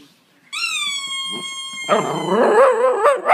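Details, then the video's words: Italian Greyhound singing: a long steady high whine held for over a second, then breaking into louder, wavering, rough yodelling howls with rapid pitch wobbles, ending in a brief rising yelp. "Italian whippet singing - Italian Greyhound"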